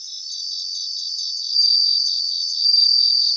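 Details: High ringing song of bell crickets in grassland, a steady pulsed insect trill that swells into two brighter, louder bell-like bursts about a second apart, with other crickets singing behind.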